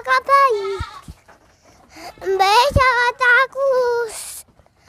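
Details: Small goat that keeps evading capture during play with a child: long, steady, nasal bleats with a falling tail, a short burst of rapid quavering calls, and people talking nearby.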